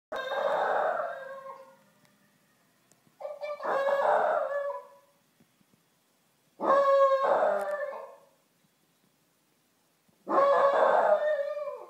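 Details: Chihuahua named Tommy in Amsterdam, howling like a wolf as he does when he hears sirens; four drawn-out, wavering howls of about two seconds each, separated by short silences, no siren clearly audible.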